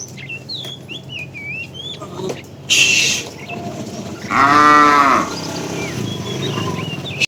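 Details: Tame cow in a herd driven along in the afternoon, calling the female: one arching harmonic moo near the middle, after a short noisy burst, with small birds chirping and faint voices in the background.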